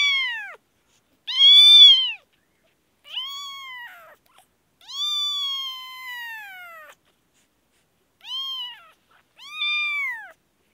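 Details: Kashmir kitten with an infection meowing insistently, a run of short arched cries and one longer drawn-out meow in the middle, with brief silent pauses between calls.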